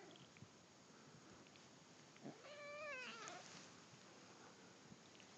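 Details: A friend's kitten, held on her back, which she hates, while being tickled indoors; one drawn-out complaining meow with wavering harmonics rises and falls, otherwise quiet room hiss.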